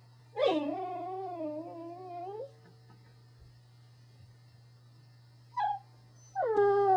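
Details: A pet Corgi produces long, wavering whine-like vocalizations that slide up and down in a yodelling, talking manner, with a short yelp between them and a constant low hum in the background.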